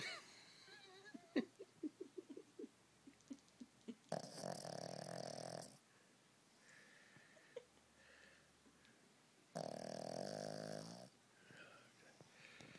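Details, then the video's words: Domestic dog asleep and snoring: two drawn-out, harsh snores, each over a second long, separated by soft breathing, with a brief human voice at the start. "My dog Tricky snoring"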